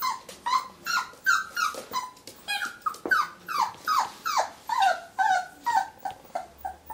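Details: Muffin, a whippet indoors, reacting to its own reflection in a mirror: rapid high whining yelps that fall in pitch, about two per second, loud and uneven, with a faint clatter between them.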